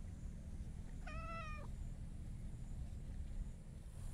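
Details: Short harmonic meow of about half a second from a talkative hachiware stray cat rubbing against a person, steady in pitch, set against loud low-frequency outdoor rumble.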